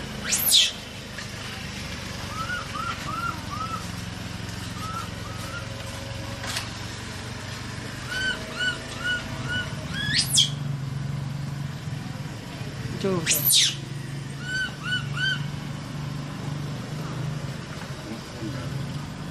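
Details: A frightened, trapped young monkey lets out a few isolated high shrieks spaced seconds apart, while rows of small repeated chirps and a low rumbling hum fill the gaps.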